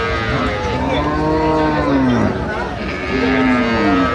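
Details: Improved-breed dairy cattle, cows with calves, at Ambari Haat market in Dinajpur on 15 September 2025, lowing twice: a long drawn moo arching down, a brief pause, then a second rising-falling moo, with crowd noise behind.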